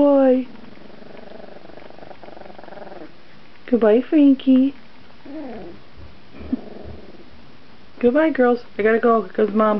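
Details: Puppies 14 days old whimper indoors, giving repeated short rising-and-falling whines in bursts, with a flurry of rapid squeaky cries toward the end and a quiet room between calls.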